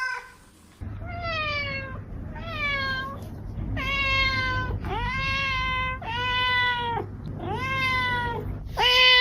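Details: Domestic cat giving a run of about seven drawn-out harmonic meows, each slightly falling at the end, nearly back to back, over a steady low hum.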